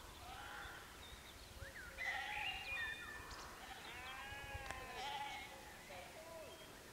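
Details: Sheep at Canons Ashby, West Northamptonshire, UK, at golden sunset, giving faint, wavering harmonic bleats around the middle of the recording against a quiet outdoor background with thin, high bird-like tones.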